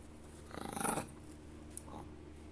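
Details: A pet Chihuahua growls while playing indoors: a short, pulsed, rumbling growl lasting about half a second that swells and then stops, followed by quiet room noise.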